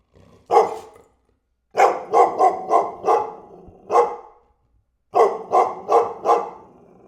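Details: Single dog barking in short uneven bursts, sharp barks with a growly tail after some, broken by pauses of about a second.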